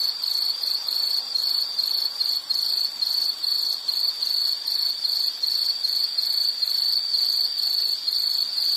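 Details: Insect sound for relaxation and sleep: a high, shrill trill broken into short bursts, roughly two each second, in a steady rhythm throughout. A faint hiss sits behind it.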